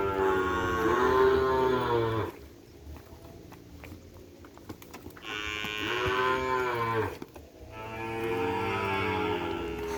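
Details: Madura cattle, kerapan racing bull stock brought from Sapudi Island, kept at a private home: three long, drawn-out harmonic moos of about two seconds each, with quieter gaps between them.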